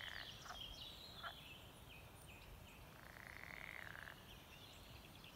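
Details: Frogs croak at a small forest pond with a boardwalk near Beetsterzwaag, including a buzzy, pulsing call lasting about a second, over faint bird chirps.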